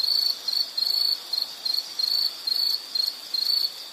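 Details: Rhythmic insect chirps offered as calming background sound, high-pitched trilled bursts roughly three-tenths of a second long separated by short pauses, repeating evenly against soft background hiss.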